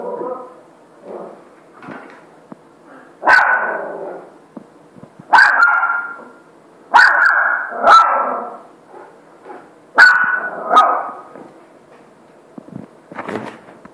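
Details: Maverick, an 85 kg Saint Bernard trying to get a puppy to play with him: a run of five or six deep, loud barks in pairs, separated by softer grumbling and whining sounds.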